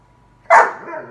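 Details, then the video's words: Eleven-month-old Bernese Mountain Dog talking to family members, giving a single short, loud bark-like yelp that fades into a brief trailing whine. "Bernese Mountain Dog Talking"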